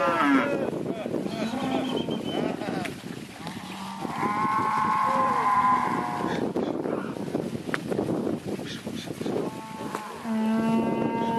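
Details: Mixed herd of Angus and Red Angus cows and heifers, including a few Jerseys and crossbreds, calling in turn. Deep low moos alternate with higher, longer bellows, overlapping, over a rumbling background.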